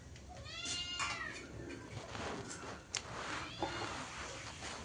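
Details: Domestic cat meowing indoors while rice is mixed for feeding; several short harmonic mews near the start and middle, with a woman talking in Bengali and background clatter.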